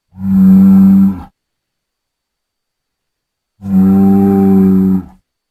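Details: Bull moos twice, each a long, steady, deep and richly harmonic call lasting over a second, separated by about two seconds of silence; no other sounds.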